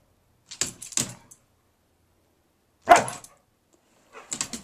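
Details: Gracie, an 11-year-old husky mix dog, barking at nothing while going wacky: two short rough bursts early, one louder harsh bark near the middle, then scuffly broadband noise at the end.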